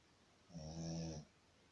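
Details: A single drawn-out snore from a sleeping Shih Tzu, a low buzzing drone with a raspy hiss on top, swelling and fading over under a second.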